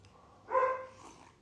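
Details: Pet female dog giving one of its last barks at a neighbour's German Shepherd passing in the morning, shortly before falling quiet: one short harmonic bark in a calm indoor setting.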